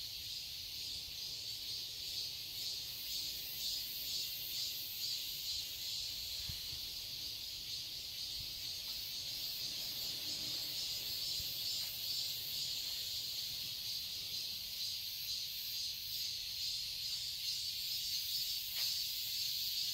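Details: Cicadas in a garden in Seoul, Korea, on a quiet summer day: a dense, steady, high-pitched shimmering drone with fast pulsing throughout, continuous for the whole stretch with no other clear sounds.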